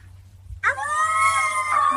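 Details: A Siberian husky, set off by a baby's sound, lets out a sustained, wavering howl that starts suddenly and holds steady.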